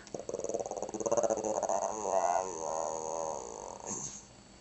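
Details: Pet Shih Tzu making a "talking" growl meant to sound like "grandma": a pulsing, throaty vocal with rapid beats, wavering in pitch, then a short trailing whine near the end.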